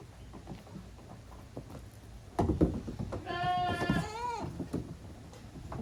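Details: At Yoshigake goat farm on 30 April 2023, goat kids play hard in the exercise yard. A sharp bump is followed by a single strong, tremulous bleat lasting about a second, set against low rumbling background noise.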